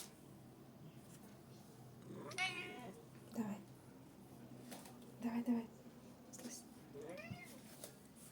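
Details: A Scottish Fold cat recorded on 16 September 2023 gives a few drawn-out meows, rising then falling, spaced several seconds apart, with a person talking quietly in between.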